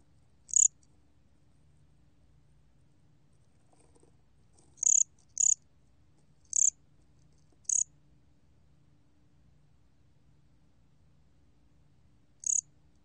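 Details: Cricket (곰귀뚜라미) from a 2020 Korean National Institute of Biological Resources recording: six sharp high chirps, several bunched in the middle and one after a long pause, each a short pulsed burst over quiet low rumble.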